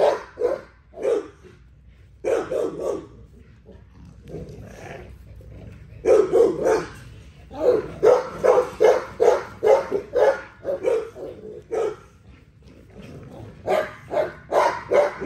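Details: An XL American Bully barks while exercising, starting with scattered barks and quieter gaps, then bursting into a dense volley of fast, harsh barks, easing off and returning in irregular clusters toward the end.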